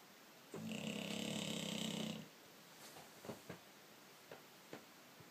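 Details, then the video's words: Pet British Bulldog named George snores in a small room, one long raspy, droning breath of about a second and a half, followed by quiet with a few soft clicks and light shuffling sounds. "British bulldog George snoring"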